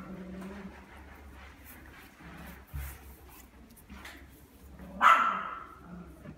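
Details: At a pet shop, a Pembroke Welsh Corgi gives a single sharp, high yelp-like bark over a quiet indoor hum.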